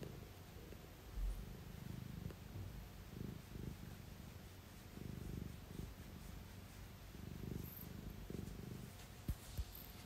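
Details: A 1-year-old female British Shorthair cat, yawning and almost falling asleep, purrs steadily, a low rumbling drone pulsing in soft rhythmic waves.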